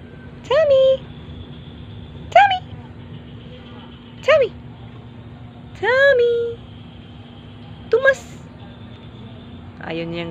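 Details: Playful domestic pet cats: short, sharp meows that rise then drop, repeated roughly every two seconds, six in all, some slightly longer and bending downward; a steady low hum runs underneath.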